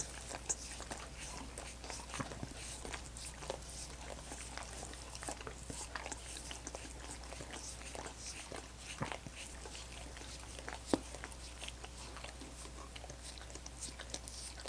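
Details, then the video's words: Several dogs work at coconut water popsicles with continuous moist lapping and clicking, occasional sharper snaps of biting into the ice standing out, a low even hum underneath. "Dogs Licking Coconut Water Popsicles"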